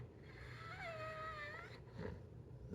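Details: Zeusy, a pet pit bull indoors, mad at being made to wait for breakfast after eating late the night before, gives a smooth tonal whine that wavers and slides down over about a second, with a soft voice murmuring afterward.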